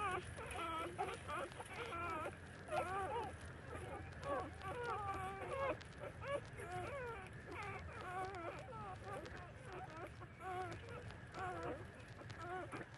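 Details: Thirty-day-old puppies nursing from their mother give a steady chorus of thin, wavering whines and squeaks, overlapping and rising and falling in pitch through the whole stretch, with a faint low rumble beneath.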